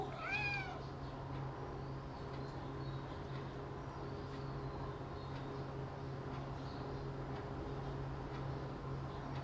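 A Persian cat gives one short, rising-then-falling meow, followed by a steady low hum.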